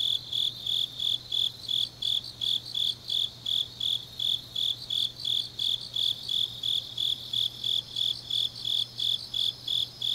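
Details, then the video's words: High, bright insect chirps pulse evenly, roughly three per second, from grass insects on a deep autumn night in Changnyeong, South Gyeongsang, Korea; fainter overlapping chirps and a quiet low hum sit in the background. "깊은밤 가을 풀벌레 소리"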